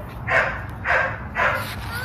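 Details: Small, well-trained Shih Tzu during obedience training at home gives three short, sharp, yappy barks about half a second apart over a low steady room hum.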